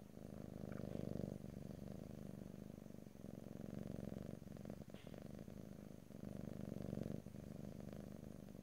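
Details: Domestic cat purring up close in stereo, no talking: a steady low rumbling purr swelling and easing in long breaths of roughly two seconds, with faint soft clicks and rustles.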